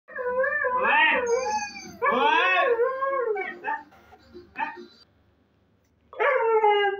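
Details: Siberian husky puppy calling its mother for food: bursts of wavering, howl-like yowls that rise and fall in pitch, each about a second long, separated by short pauses, with a quiet gap before a final yowl.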